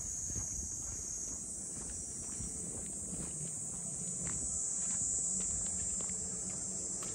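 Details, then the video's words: Steady high-pitched cicada drone at Ine no Funaya, a port district north of Kyoto, swelling in loudness midway, over soft regular footsteps and faint low background hum. "cicadas voice"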